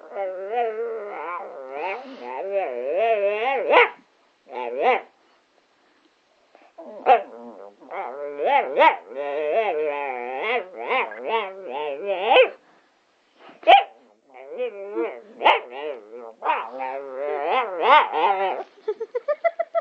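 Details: A Patterdale Terrier 'talks and sings' in a long run of quavering, moaning yowls and whines, some rising and falling in pitch, broken by brief silences. Rapid short yips close the sequence.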